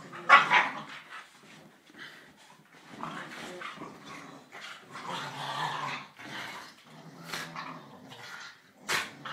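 Staffordshire Bull Terrier puppies give rough, gravelly growls and short yips as they play together.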